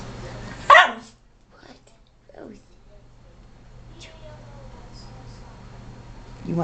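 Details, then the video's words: Rosie, a pet dog, sneezes on command indoors: one short, sharp broadband burst near the start, then near silence with a faint steady hum in the room. "ROSIE SNEEZING"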